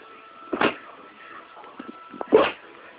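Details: A cute dog sneezing twice, two sharp, breathy bursts about two seconds apart, over a faint steady tone and soft small shuffling sounds between them.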